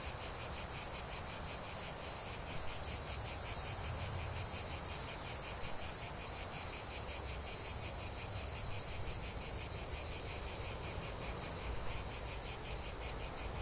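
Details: Continuous cicada chorus: a bright, shrill buzz throbbing in quick regular pulses, about three per second, holding steady for the full length, with a soft low rumble beneath.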